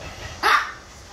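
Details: A single short, sharp bark from a Maltipoo at an animal hospital, rising abruptly out of a low room hum and quickly cutting off.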